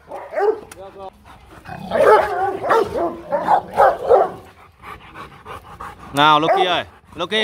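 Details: Rottweiler guard dogs, including ones named Loky and Bruno, bark in a rough, uneven burst while a man calls out to quiet them, his voice rising over the dogs near the end.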